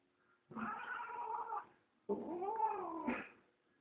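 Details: Pet female cat indoors wanting to be let outside, giving two long drawn-out wailing meows, each about a second long, the second bending upward then falling; a woman speaks Spanish just before and after.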